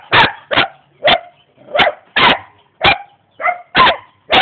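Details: Sharp, forceful barks from a young German Shepherd dog in Jamaica, ready to attack, about nine barks in four seconds at a fairly steady rhythm.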